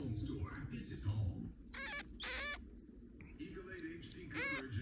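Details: Pet marmoset monkey named Mÿa being tickled, giving short high-pitched trilling squeals in quick pairs, then another squeal near the end, with a person's voice underneath.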